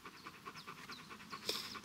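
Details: A Dobermann that does not want to go into the water pants softly in quick breathy puffs, four to five a second. A short louder burst comes near the end.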